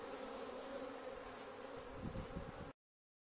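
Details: Bees swarming in a courtyard they have taken over, awaiting a beekeeper: a continuous, even buzzing drone with slight flutter, ending abruptly in silence.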